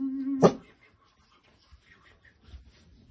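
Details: A Staffordshire Bull Terrier puppy indoors at New Year gives a single short, sharp bark right after being wished a happy new year, then near silence with faint rustling.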